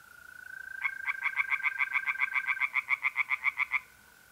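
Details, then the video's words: April night at a pond in north-east Italy, with a continuous mole cricket trill throughout; after almost a second, singing tree frogs join in with a rapid, regular train of grating croaks for about three seconds, then fall silent. "relaxing singing tree frogs in pond and trilling mole crickets by night"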